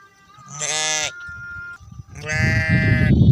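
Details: Goats and sheep after rain in Tharparkar, Thar: two loud, drawn-out, quavering bleats about a second and a half apart, the second followed by low rustling noise.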